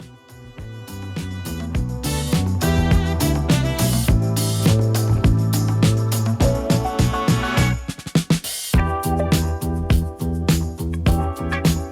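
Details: Loud funk track with driving drums, bass and brass hits, briefly broken near the end, with no animal calls present.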